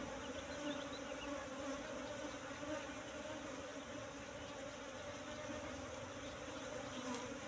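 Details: Steady hum of wild Asian honey bees (Apis cerana) at a nest found in bushes and full of honey; a continuous drone with two low tones, unbroken throughout, with no other clear sounds.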